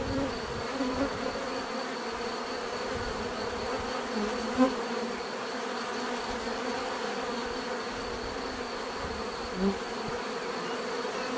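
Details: Many bees buzzing in a steady droning chorus, broken by two brief sharp louder buzzes as single bees pass close.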